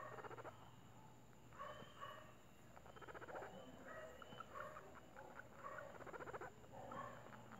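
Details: A pet guinea pig purrs at home while being petted, in short, buzzy, vibrating bursts with faint squeaky overtones between the pulses.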